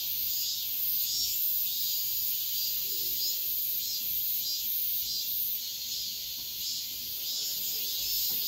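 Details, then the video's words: Cicadas heard at dawn in midsummer, a dense shrill buzzing that rises and falls in soft regular swells, about one and a half per second, against quiet surroundings. "새벽매미소리를 들어보자"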